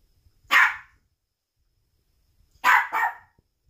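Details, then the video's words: A pet dog barking at a balloon: one sharp bark, then a pause of about two seconds and a quick double bark, in a quiet indoor room. "Dog Barking at Balloon"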